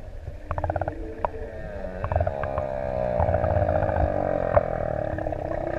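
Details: Singing humpback whales off ʻEua, Tonga, six adults swimming close by; a long harmonic groan slowly falling in pitch across several seconds, over low rumbling water noise and a few sharp clicks.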